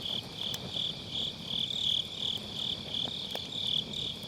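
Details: An autumn-night chorus of grass insects near a crackling firewood campfire, captured on an MKE600 mic with low cut; a shrill, rhythmic trill pulses roughly three times a second, broken by occasional snapping pops from the fire.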